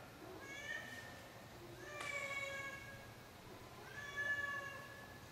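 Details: Elderly 16-year-old female house cat in her nightly vocal routine: three drawn-out, harmonic meows about two seconds apart, the middle one loudest and starting abruptly, in a quiet room.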